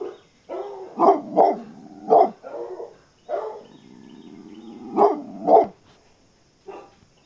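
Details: Coyotes give a run of sharp, harmonic yips and barky yelps in uneven clusters of two or three, with short wavering howl-like notes between them and brief silences.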